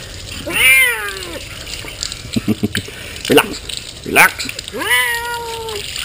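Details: Female pet cat protesting during her monthly bath with soap; two loud, long, wavering meows at start and end, with splashing and handling noises between and the owner's soothing voice telling her to relax.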